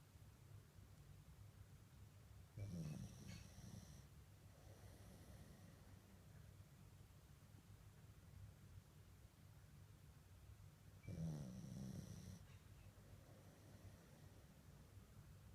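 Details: Sleeping mame shiba named Komugi snores softly; two low, rough snorting breaths about eight seconds apart over a steady low hum of quiet breathing.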